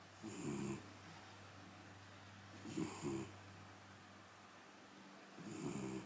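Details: A large golden tabby Scottish Fold cat snores in low, rasping breaths that blend into a loud purr, recorded 09.06.2024.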